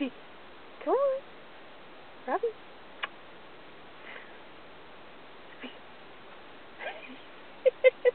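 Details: Australian Cattle Dog learning to speak on command, vocalizing indoors in a sing-song way instead of barking: a few short rising and falling whines, then a quick series of brief yips near the end, amid quiet room noise.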